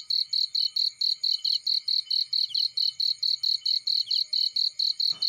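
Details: Cricket sounding in a field by a fireplace: a sharp, high chirp pulsing about twice a second, steady and ringing, ending with a short crack from the fire.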